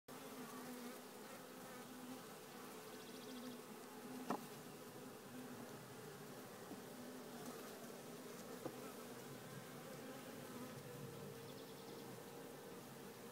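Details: Honey bees of a queenless swarm in a small nucleus hive, the colony confirmed to have lost its queen; steady droning hum with tonal bands near the low and mid range, a few brief clicks and knocks at about four and eight seconds.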